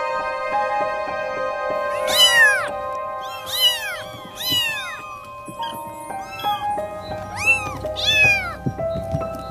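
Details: Cat meowing, about six drawn-out, arching meows with a rise and fall in pitch, coming every second or two, with soft music playing underneath.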